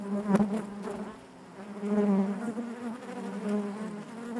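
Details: Honey bees buzzing inside their hive, a dense steady hum around 200 and 400, swelling and fading in soft waves with a brief sharper burst near the start, no other sounds.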